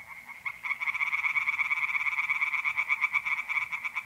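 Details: Pond-dwelling tree frogs calling at night in April in north-eastern Italy, a loud unbroken run of quick rasping pulses after a brief quieter start, many voices overlapping.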